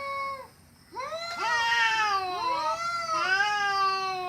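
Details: Cats fighting, giving a horrible sound: long wavering yowls with rich harmonics, one falling tone, a brief pause, then overlapping rising-and-falling howls from more than one cat.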